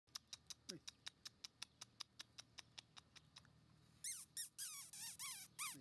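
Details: Male black Shiba Inu puppy, 34 days old, giving a run of high, sharply falling squeaky whines in the last two seconds, after a steady series of soft clicking ticks about four per second.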